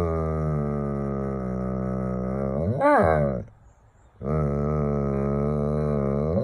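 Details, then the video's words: Frustrated Doberman wanting outdoor play holds a long, steady, low moaning groan. A brief rising-then-falling yelp breaks it, then a short pause, and the drawn-out groan resumes. "Doberman wants to play outside (angry)"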